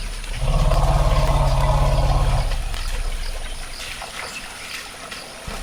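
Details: An African forest elephant at Dzanga Bai, a forest clearing in the Central African Republic where up to 80 elephants may have gathered that day, gives a deep, steady, two-second rumble, followed by quieter background sounds.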